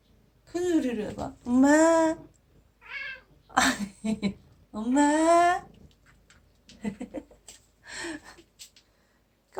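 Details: Domestic cat named Aegi, a rescued former wild kitten now living indoors and said to call its owner "mom". A series of long, arching meows mixed with short chirps, soft clicks and rustling, roughly every couple of seconds.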